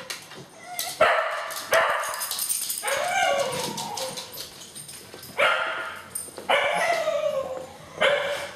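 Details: Two Cocker Spaniels waiting excitedly in the morning for someone to arrive to take them to the beach give bright, eager barks sliding into high whines and yips, in irregular clusters with whimpering between.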